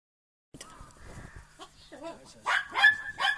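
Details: Border Collie puppies about four and a half months old, out in falling snow. The clip opens with faint whining, then sharp high yips and short barks in quick irregular bursts.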